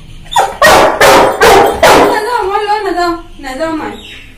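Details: An 11-month-old Labrador Retriever arguing loudly with its owner: four sharp barks in quick succession, then drawn-out whining, moaning vocal sounds that waver and fall, with a person's voice nearby.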